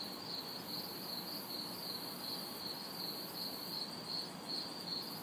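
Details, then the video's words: Chorus of crickets and cicadas on a humid summer night in an urban backyard, a shrill chirp repeating roughly every 0.4 seconds above an even high-pitched drone and soft far-off traffic rumble. "Summer Night Sounds ~ Crickets, Cicadas"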